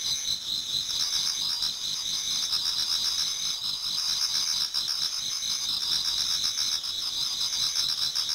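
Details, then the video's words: Autumn insects in a Japanese garden singing near dawn, a thick high-pitched shimmering chorus of overlapping trills, unbroken throughout, with faint irregular pulsing beneath. "Autumn Insects voice Towards dawn"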